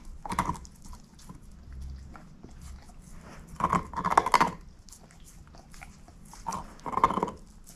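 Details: Indoors, a shepherd mix dog eats a bone: brief crunching bites, then a cluster of loud cracking chews, a pause and another double crunch near the end, faint low hum between bites, no speech.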